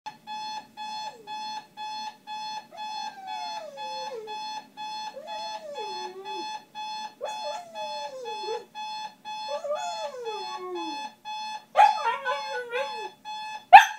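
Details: A Shiba Inu howls in long, sliding, falling notes over a steady electronic alarm tone, singing to wake its owners for work.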